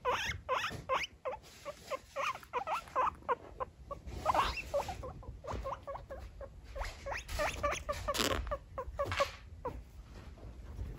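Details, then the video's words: Female pet guinea pig Lulu calls for her owner's company with a dense stream of short squeaky chirps and clicks, rapid and irregular, over steady rustling and light background noise. "Lulu wants to hang out with dad☻ |GUINEA PIG|"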